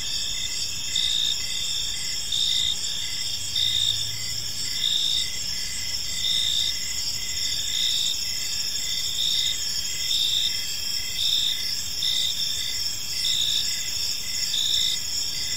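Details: Crickets sing through an evening in a tranquil park, a shrill unbroken chorus punctuated by regular short chirps about once a second. A faint low hum passes briefly early on.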